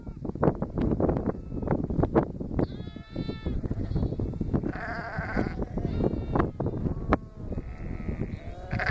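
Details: Lambs on their first day with an Akbash guardian dog, giving several high, wavering bleats with rich overtones, partly overlapping. Loud rustling, knocking and handling noise runs throughout.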